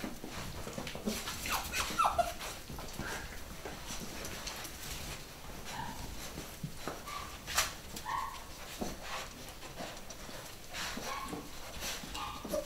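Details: New litter of nine-week-old pedigree Beagle puppies, boys and girls, at a UK breeder; brief high squeaky yips and whimpers scattered through the recording over steady clattering, scuffling and tapping sounds of pups moving about.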